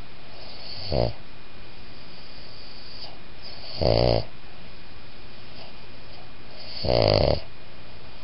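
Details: Designer cross of Boston Terrier and Pug in a whisper snore: three raspy snorts, each stronger than the last, spaced about three seconds apart above a quiet steady hum.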